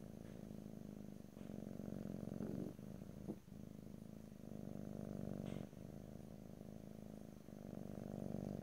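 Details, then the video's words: Steady low purr from a pet cat, recorded ear to ear in stereo, swelling on each breath in cycles of roughly two to three seconds with brief dips between them. "ASMR Cat: Purring"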